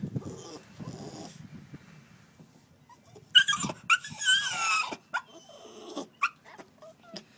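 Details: Puppy Coco-T shut outside after a toilet accident, crying: a wavering high whine with scratchy breathy bursts and short sharp yelps, loud and uneven, between quieter gaps.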